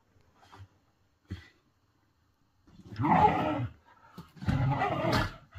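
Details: Whippets play fighting, sounding as if really fighting: two short soft grunts, then two loud rough snarling growl bursts about a second each, harsh and broadband, separated by a brief pause.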